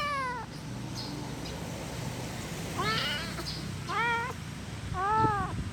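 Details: Angry kitten producing softer, arched meows, four short cries mostly in the last three seconds, each rising and dropping in pitch, over a steady low room noise.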